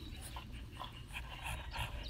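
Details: Short panting breaths from Makoto, a seven-year-old female French Bulldog with an injured eye, at a breeder in Hamamatsu, Shizuoka; soft snorting huffs repeat over low room hum.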